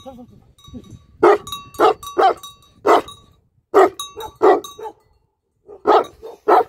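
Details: Tibetan Mastiff, known locally as Bhote Kukur, barking: loud separate barks, often in pairs, then a pause and more barks, with faint speech before.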